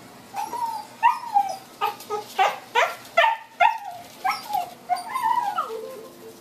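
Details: Female blue merle Miniature Australian Shepherd puppies, aged 4 weeks and 4 and a half months, give about a dozen short tonal whines and yelps that slide downward, coming in quick, uneven bursts over a quiet room.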